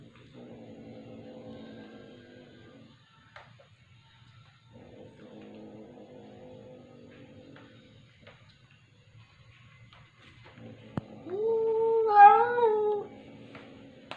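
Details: Sol, a ginger cat, freaked out by Nugget, a new tortoiseshell cat, filmed indoors on 15 January 2022 at 8.13PM; one loud wavering, drawn-out meow near the end, over a steady background hum and faint music-like tones.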